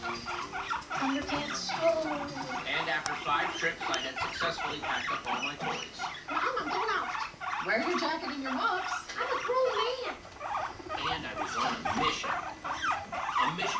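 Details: During mating between guinea pigs Rumply and Fluff, a five-month-old female, soft rumbling purrs mix with short wavering squeaks and rapid ticking, staying fairly even throughout.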